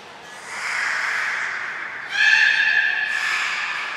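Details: Belugas Gray, Nana and Mirai during training at Port of Nagoya Public Aquarium, Japan, June 2022: a sustained squealing call with stacked harmonics, shifting to a brighter, louder tone midway, in a reverberant hall.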